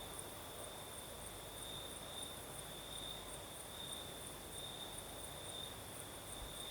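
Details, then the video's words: Crickets singing at night in the south of Crimea, with a night breeze: a steady high trill, continuous and slightly pulsing, with a fainter shimmering band higher up over soft broadband breeze noise. "Звук ночи. Юг. Крым. Сверчки поют. Ночной бриз."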